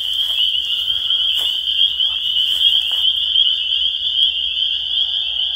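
A dense chorus of spring peepers, countless high, shrill peeps blending into one steady ringing whistle.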